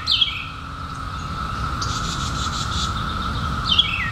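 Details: Unbroken hum of periodical cicadas emerging in 2021 after 17 years, a flat sustained drone beneath two brief downward-sweeping bird chirps at the start and end and a faint hiss of higher sound midway.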